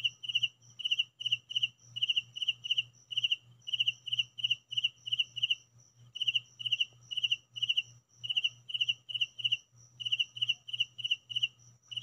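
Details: Indoor recording of crickets giving a long series of high, pulsing chirp bursts, three to four ticks each, repeated rhythmically with occasional short pauses, a steady low hum running behind.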